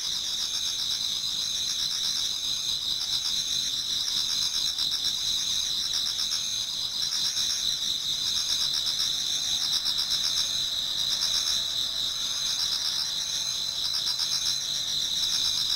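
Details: Autumn insects in a Japanese garden near dawn form a continuous shrill chorus, layered high trills with a faint pulsing beat running through it, unbroken throughout.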